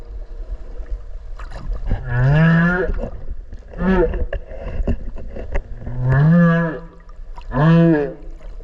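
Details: Underwater recording near a whale off Okinawa, made while swimming with it: low, harmonic swooping moans, each rising then falling, repeated four times about every two seconds against murky water rumble.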